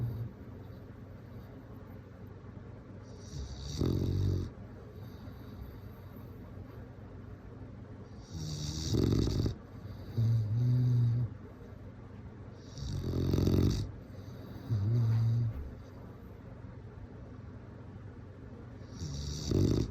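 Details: Bulldog snoring in its sleep, a steady cycle of low, rumbling inhales and hissing exhales recurring roughly every two to four seconds, with occasional louder snorting bursts against quiet indoor background.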